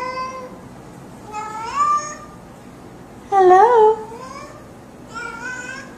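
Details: Cat saying hello with three separate meows, each rising and then flattening out. The middle one is loudest and wavering. Quiet indoor room.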